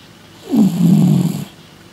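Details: House cat sleeping after the Christmas excesses, giving a single loud, low, rasping snore lasting about one second, rough and gravelly.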